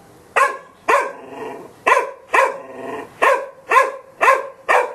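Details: Golden Retriever giving loud, evenly spaced barks roughly every half second, each a short harsh burst with a brief tail, some followed by a low whine between barks.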